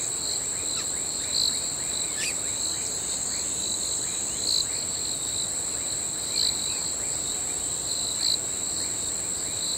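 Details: Crickets calling at night: a steady, very high shrill drone with a lower ringing band, louder pulses swelling about every two seconds, and faint rising chirps in the background.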